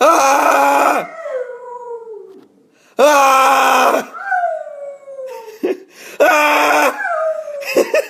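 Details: Pet dog howling back and forth with its owner indoors, answering loud human screams with drawn-out, wavering howls that slide downward, each lasting about a second, alternating with three bursts of harsh screaming in a small room.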